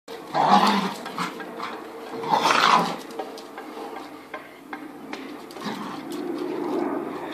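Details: Two American Staffordshire Terriers, older Bosss and five-month-old puppy Rocky, playing rough tug of war; two loud, rough growling bursts about two seconds apart, then lower, quieter rumbling growls.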